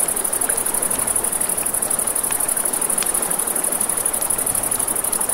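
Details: A continuous thin, high cricket trill rings through a night scene by a river, layered over the broad rush of water and a few crisp campfire crackles.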